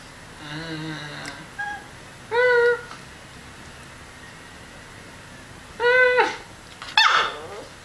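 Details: Miniature schnauzer puppy indoors, responding to a person making noises: a low wavering whine first, then two loud, clear yelping barks about three seconds apart, ending in a rough burst, with a person's brief remarks.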